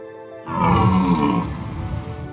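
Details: Red deer stag bellowing during the rut in the mountains of Valais, Switzerland, among hinds, to signal presence to females and repel rival males: one deep, rough, drawn-out roar of about two seconds, with a steady low tone under it.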